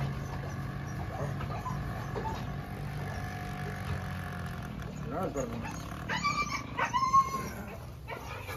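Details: Draco, a red-nosed American Staffordshire Terrier, lets out short, high harmonic whines toward the end, after a long stretch of low background rumble, while people chat nearby.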